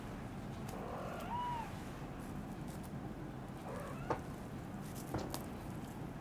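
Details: Munchkin kitten at Christmas giving a short, thin meow that rises then falls, followed by a fainter mew about three seconds later, over a steady low room hum and a few soft clicks.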